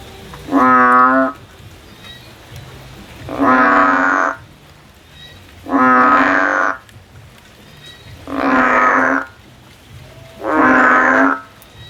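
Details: A male frog sings in the field with loud, harmonic, buzzy croaks, each about a second long, repeated roughly every two and a half seconds. Five croaks in all, with a faint background hum.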